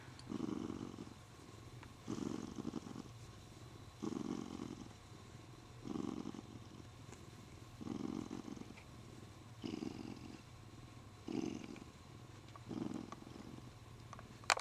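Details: A contented, spoiled male Siamese cat purrs as he is stroked and grips his owner's arm: eight regular rumbling purr phrases, each about a second long, spaced every two seconds, ending with a faint click.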